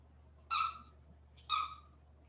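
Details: Two brief, piercing squeals about one second apart from 47-day-old West Highland White Terrier puppies resting indoors after time outside.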